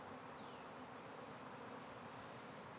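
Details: Thousands of swarming bees milling about above a backyard shed after leaving their hive, producing a thick, steady buzzing roar with no pauses; one faint descending whistle crosses early.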